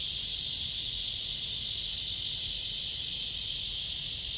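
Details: Cicada in a tree under a blue sky, filmed on a walk on 23 August 2020 at 9:27 in the morning: a loud, steady, high-pitched shrill drone holds without a break, with faint low rumble beneath.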